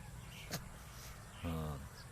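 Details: A baby goat lets out one brief buzzy bleat near the end, held level and cut off abruptly, after a sharp click and faint rural background hiss.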